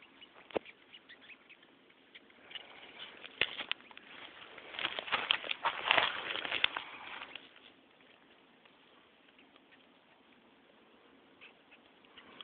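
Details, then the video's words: Flightless wasp called cow killer or red velvet ant producing its weird screaming noise: scattered scratchy squeaks swelling into a loud, dense rasping burst midway, then dying down to sparse faint ticks. "Cow killer/Red Velvet Ant screaming weird noise"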